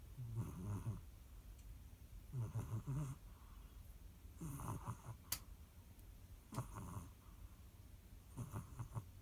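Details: Domestic cat snoring indoors: low, rough rumbling breaths in slow bursts roughly every two seconds, each with a wheezy hiss on the exhale, steady and unhurried.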